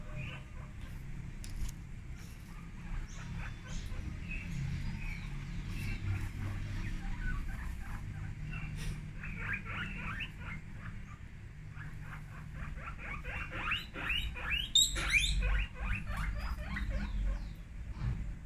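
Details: Guinea pigs screaming very loudly: rapid runs of short, harsh, harmonic squeaks, about two or three per second, growing denser and louder toward the end, over a steady low rumble of background noise.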